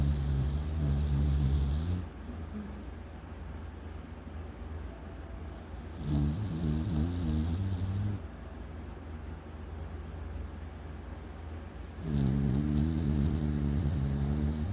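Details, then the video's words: Pet dog Yeowoo sound asleep on a bed, snoring on a rainy day, 22 June 2024. Deep, guttural snores about two seconds long recur roughly every six seconds over a constant low background hum. "침대에서 코 골면서 꿀잠자는 반려견 여우"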